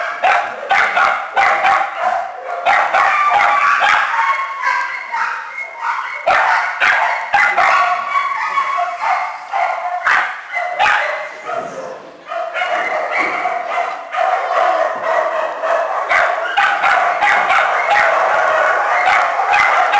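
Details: Shelter kennel of small dogs and puppies: many dogs yapping at once, a steady stream of short, shrill barks and yips piling over each other, easing briefly near the twelve-second mark before resuming.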